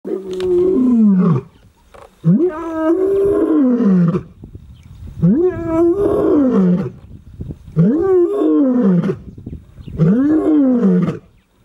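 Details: A lion roars near Urikaruus in Kgalagadi National Park in February 2022, a series of deep, moaning calls, each rising then falling, about every two seconds.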